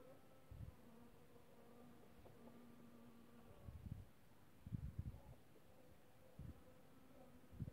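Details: Honey bees visiting violets on 4 March 2024 hum steadily in flight, a low droning buzz that wavers in pitch as they move.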